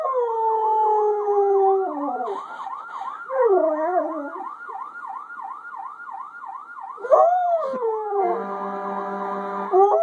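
A Siberian Husky howls in long, wavering tones alongside a fast, repeating electronic siren wail.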